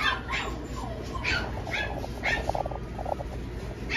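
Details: A male Scottish Fold kitten gives short, high mews in quick succession over a low background hum.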